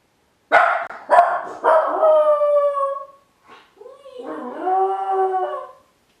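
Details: Min pin named Ylva, home alone outside the kennel for the very first time, standing in the hall: three sharp barks that stretch into a long falling howl, a brief pause, then a second wavering, rising-and-falling howl; no other sounds.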